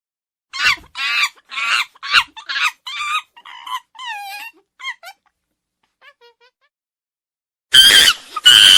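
A monkey gives a quick run of shrill, wavering chattering calls, then two harsh screeches.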